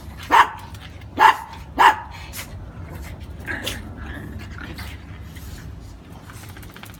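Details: Brussels Griffon in Veracruz giving three sharp barks in the first two seconds, followed by quieter scattered sounds and a low background hum.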